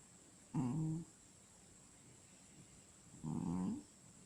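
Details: Sleeping cat snoring: two drawn-out, low, buzzy breaths about two and a half seconds apart, each lasting roughly half a second, over a quiet room with a steady high hiss.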